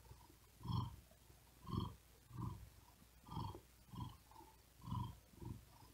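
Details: Cat trying to sleep on a wooden desk during hot weather, breathing quickly with effort and purring; soft low rumbling bursts repeat about once a second against a quiet background.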